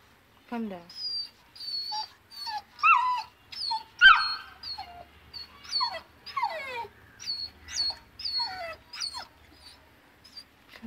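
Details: Frightened of going down stairs, a two-month-old Saint Bernard puppy keeps up a run of thin, high, wavering whines and squeaky yelps, some sliding downward, in uneven bursts about once a second, with quiet coaxing speech between them.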